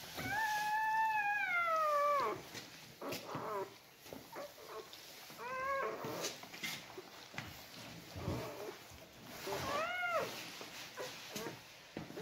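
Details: Birth of Siberian Husky puppies indoors: drawn-out, shrill arched squealing cries, one long wail of about two seconds then shorter rising-and-falling squeals spaced a few seconds apart, with faint rustling between them.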